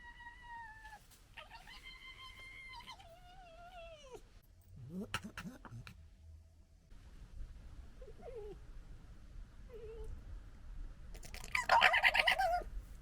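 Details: Foxes fighting and establishing a pecking order, recorded in 2021: drawn-out high whining calls with stacked harmonics for the first three seconds, then harsh rasping chatter bursts near five seconds and a loud, dense gekkering burst around twelve seconds.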